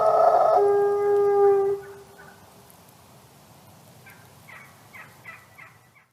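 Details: Wolf howl trailing off: a strong, steady tonal howl fills the first second and a half, then fades away, with a few faint short yelps near the end.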